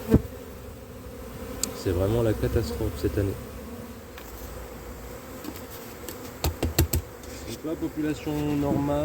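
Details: Honey bee colony showing drone laying after failed first queen matings on splits during cold weather in 2024; a steady low hive hum runs throughout, broken by bursts of a man speaking French and a few sharp clicks.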